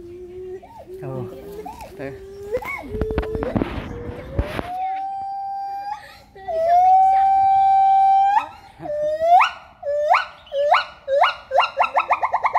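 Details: Male pileated gibbon calling in the jungle: mixed wavering notes and a noisy burst, then a long steady hoot, followed by a quickening run of short, sharply rising whoops that grow louder and closer together.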